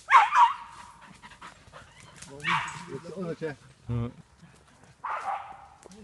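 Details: A Jagdterrier training on wild boar in a boar enclosure gives loud, harsh, clipped, bright barks in brief clusters every couple of seconds, while a man talks and calls out between them.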